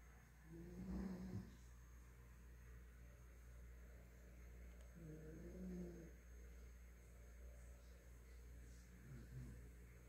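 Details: Nina, a female Miniature Pinscher kept as a house pet, snores in her sleep: low buzzy rattling breaths about every five seconds against a quiet background hum.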